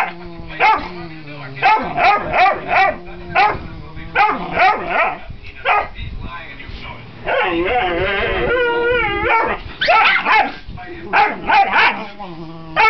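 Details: Upset foster puppy, frustrated that nobody will play, barking in short high yappy bursts about every half second, with a longer wavering whine in the middle and human speech mixed in.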